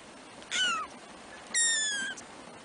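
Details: Three-week-old black kittens from Trisya's first litter: two loud, high mews a second apart, the first short and dropping, the second longer and gently falling, rich in overtones over quiet hiss.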